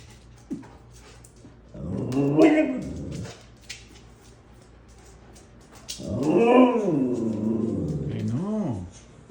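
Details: Husky kept as a pet at home, making noises and acting crazy: two long, arching, harmonic howl-like calls rising then falling, near 2 and 6 seconds, ending with a shorter yelp, in a small room with faint talking.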